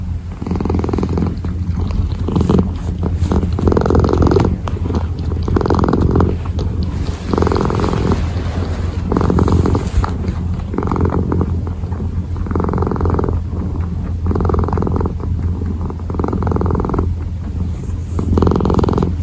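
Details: A kneading kitten purrs without pause, its low rumbling throb rising into a brighter buzz every second and a half or so, over a dozen breath cycles in a row, recorded up close.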